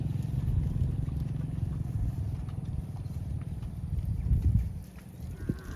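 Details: A cow roaming the fields calls out for friends with one sustained, low, rich moo that holds steady for about five seconds before fading, over faint outdoor rustling.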